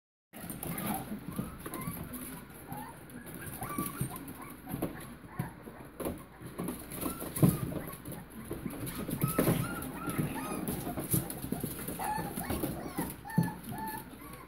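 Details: Litter of 5½-week-old puppies, Chihuahua-mix mother and Pitbull-Bully father, giving many short, high squeaky whines and whimpers that overlap in a busy chorus over steady background hiss.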